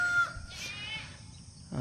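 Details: Two newborn goat kids, nursing after being brought down from a slippery raised pen on a January morning; a brief high bleat with a clear steady tone, then a second fainter bleat, against low background noise.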